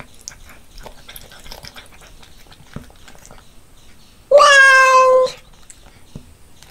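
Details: A pet cat meows while eating, with loud chewing. Quiet smacking and nibbling sounds come first, then a single loud, drawn-out meow of about one second, then more soft chewing.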